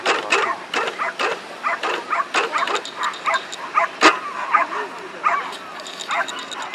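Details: Willow, a Cairn Terrier, gives quick, sharp, high yapping barks in uneven bursts during an AKC Coursing Ability Test at Chickahominy Riverfront Park, Williamsburg, Virginia, with voices in the background.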